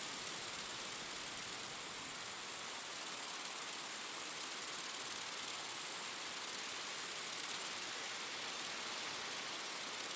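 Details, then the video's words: Numerous grasshoppers humming at night, a constant piercing high buzz with fine rapid pulsing, unchanging for the whole ten seconds over a soft hiss. "Grasshopper Sounds | Grasshopper Buzz, Night Grasshopper Humming Sound, Mass Grasshoppers Sound"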